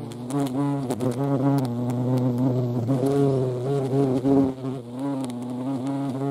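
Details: Low, continuous wing drone of European hornet at a feeding site in the Eifel, pitch swelling and dipping slightly, with a few sharp taps and a brief quieter dip near the end.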